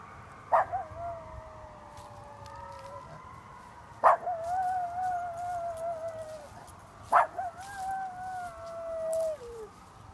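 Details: A Miniature Schnauzer howls at a passing ambulance, three long, tonal howls, each opening sharply and then sliding slowly downward.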